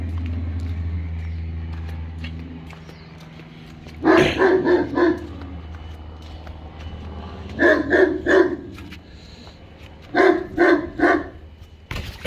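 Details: English Mastiff German Shepherd mix barking at a pool blow-up toy: three bursts of deep, loud barks, three to four in each run, separated by quieter gaps with a low engine-like hum at the start.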